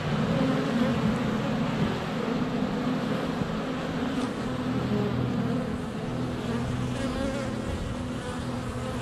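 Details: Honey bees in flight at a hive entrance on a sunny February day, filmed up close with a GoPro; dense steady droning hum of many wingbeats with shifting low tones, continuous throughout.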